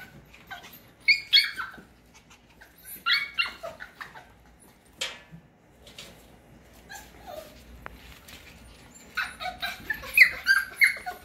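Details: F1 cockapoo puppies, cocker spaniel mother and mini poodle father: scattered high squeaky whimpers in short bursts separated by quiet gaps, with a louder cluster of overlapping yips near the end and some faint background rustling.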